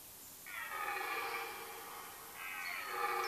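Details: Red deer during the late-September rut in Mecklenburg-Vorpommern woodland, Germany; two moaning harmonic calls, the first long and wavering, the second starting near the end, heard at some distance.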